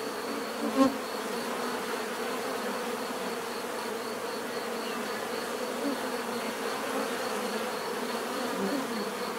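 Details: Steady droning hum of many bees, recorded as natural relaxation sound; one bee swells louder as it passes close early on, then the continuous layered buzz carries on evenly.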